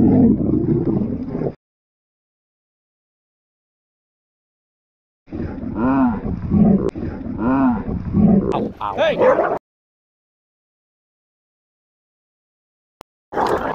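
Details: Territorial pit bull attacking a Belgian Malinois at a dog park: bursts of deep, rough, snarling growls, one short burst then a longer churning run of harsh roars after a pause of silence.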